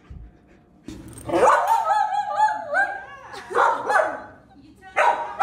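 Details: Aria, a pet female Samoyed, belts out a loud howling solo: a long wavering, rising and falling howl with warbling yodel-like turns, followed by shorter whining howls; faint background hum.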